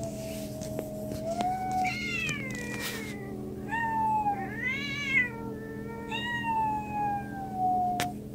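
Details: Domestic cats give a run of drawn-out meows, some long and gently falling, others wavering and rising then dropping, about six calls in eight seconds, with faint clicks and a steady low hum behind.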